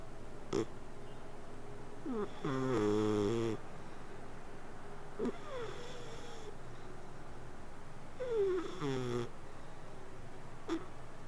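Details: Sleeping cat snoring indoors: two drawn-out harmonic breaths, each about a second and a half long and gently falling in pitch, separated by quiet stretches with faint soft clicks and breathing noises.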